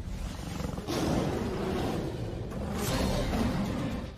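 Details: An approaching lion roars in deep, rumbling surges that swell twice, about two seconds apart; lion roars can carry up to 10 km yet seem close. Lion.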